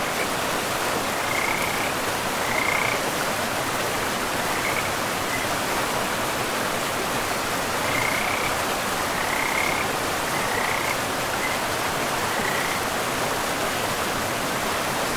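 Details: Beside a river deep in a pristine forest, frogs give separate short, high croaking trills, spaced a second or more apart, while a loud, even rush of water fills the background.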